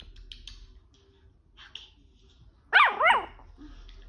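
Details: A 9-week-old Chihuahua puppy, playfully barking at puppy videos on a laptop, gives two quick, high-pitched yaps after a quiet stretch.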